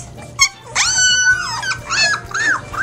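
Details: Three-week-old Labrador Retriever puppies playing and wrestling with each other in their whelping box: a brief yelp, then several high, drawn-out whining squeals that rise and fall in quick succession.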